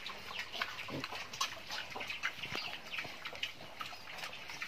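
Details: Pig of a wild-type stock used for natural breeding of domestic pigs, possibly wild boar, giving short scattered grunts and higher squeals at irregular intervals over a busy background of rustling and clattering noise.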